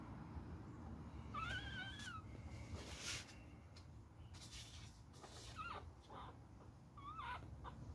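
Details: Beagle puppy during a fight, with one drawn-out high wavering whine, then two brief squeaky whines later, amid scuffling thumps.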